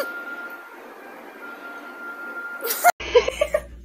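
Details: Brief muffled speech and a cough over a low room hum with a steady faint tone, then a sharp burst of noise and a cut followed by scattered short clatters; no animal voice.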